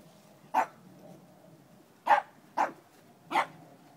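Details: Playing dog named Dobi, four months old, one of two dogs at play together: four sharp, short barks, one alone, then three in quick succession about half a second to a second apart, over a quiet room background.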